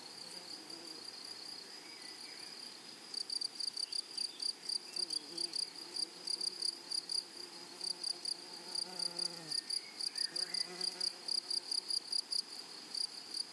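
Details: Grasshoppers in a flowery meadow: after a quieter start, a high buzzy insect pulse begins near three seconds and repeats in quick steady bursts to the end. Faint lower sounds sit in the background.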